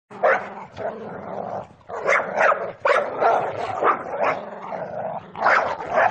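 A dog snarls, a low rumbling growl broken by harsh, explosive bursts.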